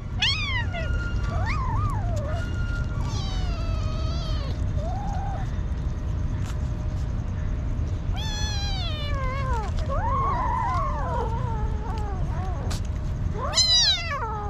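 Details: Hungry kitten living on the street cries repeatedly: bursts of bright, harmonic-rich meows, some short and falling, others wavering and rising, separated by brief pauses, with a faint constant hum and occasional clicks behind.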